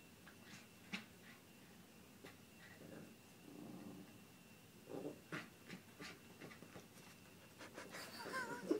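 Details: Schnauzers at play, seven-year-old Howie and eleven-week-old Darcie, tugging in a tug-of-war game: soft low growls rumbling between scuffles and sharp clicks, with panting bursts and a louder rustling flurry near the end.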